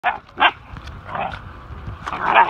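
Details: Two dogs, a Pincher and a Whippet, playing energetically with a new friend; short rough yipping barks burst out near the start and again toward the end, with scuffling and low rumbling noise in between.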